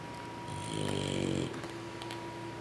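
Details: One slow, buzzing snore from a sleeping English Bulldog puppy that has just fed from its mother, rising and fading over about a second above a quiet hum.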